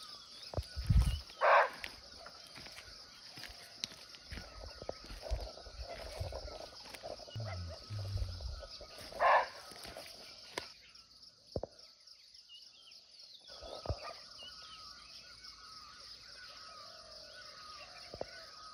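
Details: Barking deer (muntjac) in natural forest in Nepal, close but unseen: two loud, gruff barks roughly eight seconds apart among low rumbling thumps, a persistent high insect drone and faint birdsong.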